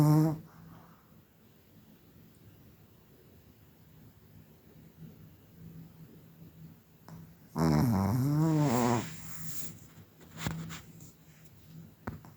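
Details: Snoring Chihuahua Kira Rolexovna of Tver: a single wavering, growly snore of about a second and a half rises out of quiet breathing, followed by a few faint clicks and rustles.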